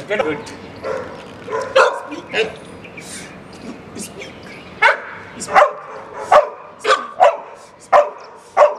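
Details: Labrador Retriever named Oscar during a training session. Speech at first, then a run of short, sharp barks repeating about every half second over the last four seconds, with a man's voice mixed in.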